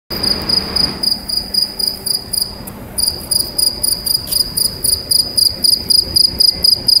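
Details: A cricket sings inside a pipe, a loud, high, ringing chirp pulsed in rapid regular bursts about four per second, briefly faltering near the start, with pipe resonance giving a metallic tone.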